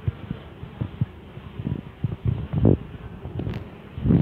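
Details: A newly caught swarm of Western honey bees gives a low, droning buzz that swells and fades in uneven bursts as insects pass close.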